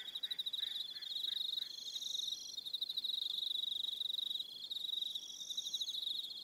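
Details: Crickets calling in the evening on Aroha Island, New Zealand, several overlapping in a continuous high pulsing trill; a short run of soft lower chirps repeats early on beneath the insect chorus.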